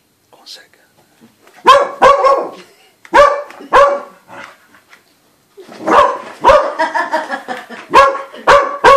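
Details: Dog barking at a snowman: loud, sharp barks in pairs and quick bursts, some rising into strained yelps, with short quiet gaps between volleys and a faint voice near the start.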